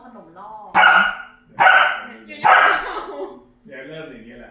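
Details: A 2.5-year-old Pembroke Welsh Corgi that barks at everything, including household members, cars and people, gives three loud, sharp barks about a second apart, with people talking.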